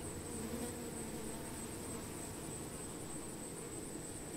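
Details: Honey bees among plants: a dense, steady low hum with faint overtones, no breaks, accompanied throughout by a thin, constant high-pitched whine above it.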